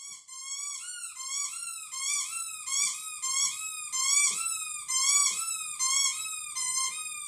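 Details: Falcor, a pet cat, 'doing the wolf' with a howling caterwaul: a run of wavering, harmonically rich yowls, each note bending up then down, following one another closely and swelling in loudness across seven seconds.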